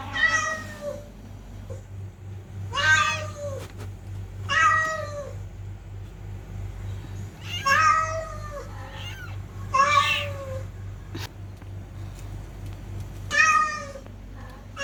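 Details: Domestic cats, presented as fighting cats, give six drawn-out, harmonic-rich meows at irregular spacing, each wavering then falling, over a steady low hum indoors.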